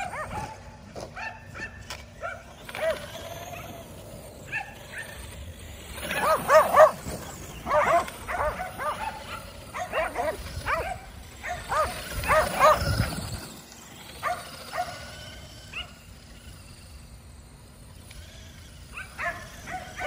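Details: Five Kerry Blue Terriers chase an E Revo remote-control car for exercise at home, barking and yipping excitedly in repeated clusters, loudest in the middle, with the car's motor whirring and paws scrambling throughout.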